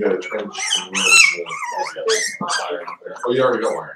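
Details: Five-week-old Cavalier King Charles Spaniel puppies from Daisy's litter in an indoor puppy pen, giving high, wavering whines and yelping whimpers that slide up and down, overlapping with human voices talking close by.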